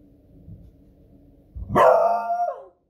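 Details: Female beagle dog alarmed by booming fireworks on a Friday evening: low rumbling thuds in the background, then one loud, ringing, drawn-out bark that holds its pitch and falls away.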